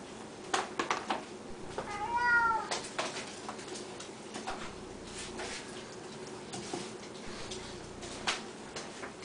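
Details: Siamese cats indoors at feeding time, fed three times a day: a single rising-then-falling meow near the middle, set among clattering kitchen knocks and clicks.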